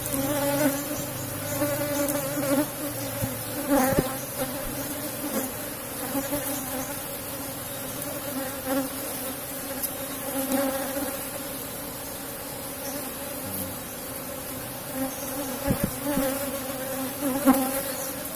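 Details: Cultivated Asian honey bee (Apis cerana) colony in a box hive, droning quietly and continuously during honey harvest, with occasional clicks and knocks from handling and faint background noise.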